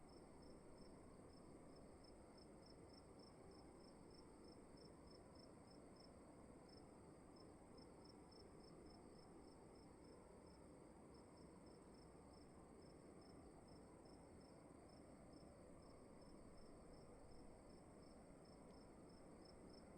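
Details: Crickets heard in a room, a steady train of quick high chirps repeating several times per second with occasional short breaks, over an even low hum and faint hiss.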